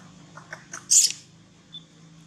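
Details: Young monkey whose mother is weaning it, crying for milk: a couple of faint high peeps, then one loud, harsh, very high squeal lasting about a quarter second, with a low steady hum underneath.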